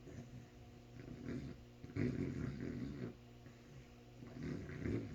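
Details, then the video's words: A sleeping dog snoring: low, rasping breaths that swell in uneven bursts about every one and a half to three seconds, louder near the middle and the end, over a quiet room. "snoring dog"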